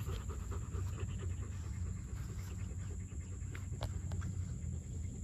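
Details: Rapid, even huffing breaths of a panting German Shepherd, several per second, over low-pitched rumbling, with a couple of sharp brief clicks near the end.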